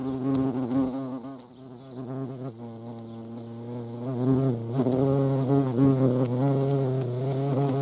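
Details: European hornet (Vespa crabro) giving a loud, continuous droning buzz rich in overtones, its pitch wavering up and down as the insect moves, swelling louder around the middle and end.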